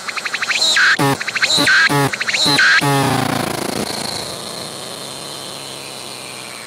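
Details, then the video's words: Close-up singing cicada, filmed in 180-degree 3D VR: a few rapid pulsed buzzy bursts with rising whines in the first three seconds, then the song fades into a soft steady hiss. "鳴いているセミに接近して撮影してみた！I approached the cicadas that were singing and took a picture!"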